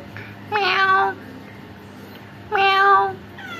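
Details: Orange cats that came to a home give two clear, harmonic meows about two seconds apart, each lasting roughly half a second with a slight rise and fall, over a quiet indoor background with a low hum.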